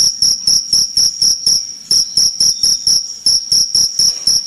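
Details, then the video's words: Cricket giving a loud, continuous run of shrill, high chirps, each a short pulsed burst repeated about four times a second, with steady rhythm throughout. "Jangkrik Gacor"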